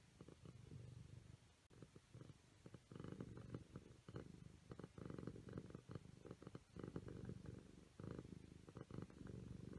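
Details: Purring from playful Siamese kittens, a steady low drone broken into short surges with brief gaps, a few light clicks and rustles over it.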